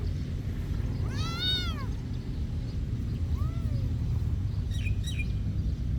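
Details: Monastery cat giving one clear, drawn-out meow that swells and fades, then a faint softer meow and a couple of short chirpy calls, all against a low continuous rumble.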